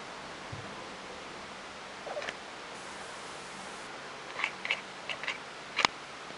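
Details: Fluffy, a pet cat, making weird noises indoors: a soft rustle, then a quick run of short, clipped chirping sounds clustered near the end, finishing with one sharper, louder burst, over a steady faint room hiss.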